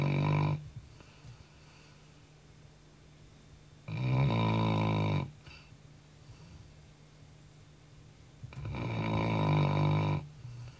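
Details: A house Labrador Retriever sleeps at night, exhausted from running, and snores heavily: three deep, buzzing, rumbling snores roughly every four seconds, each about a second and a half long, in a quiet room.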